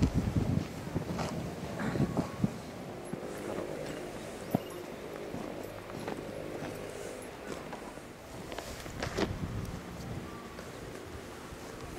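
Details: Faint rustling and soft movement sounds with scattered knocks and clicks; no clear animal vocalisation is heard.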